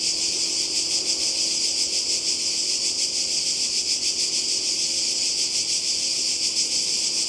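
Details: Seaside cicadas in Croatia during summer 2020 fill the air with a shrill, continuous buzzing hiss. The sound swells and fades slightly in soft, irregular pulses but never stops.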